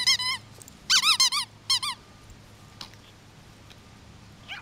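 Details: Yorkshire Terrier puppies playing together indoors: high, wavering squeaky yelps in short bursts, a few clustered notes then quiet, with a low steady hum behind.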